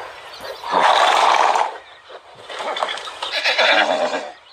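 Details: A very large horse, billed as the biggest in the world, gives a loud, rough whinny lasting about a second, followed by softer breathy calls and a second burst, with people talking and clapping nearby.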